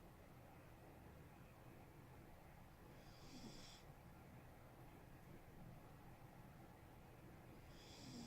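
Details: Smokey, a male pet cat, snoring while asleep, as he usually does when sleeping: soft low rasping breaths, with a brief hissy, airy snore near three seconds and another at the very end, about five seconds apart.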